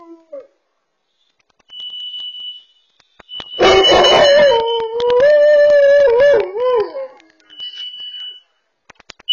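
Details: Dog alerting to a sounding carbon monoxide sensor at home, heard through a Furbo camera: a harsh bark bursts out, then turns into a sustained, wobbling howl that bends up and down. A piercing high alarm tone sounds before and after.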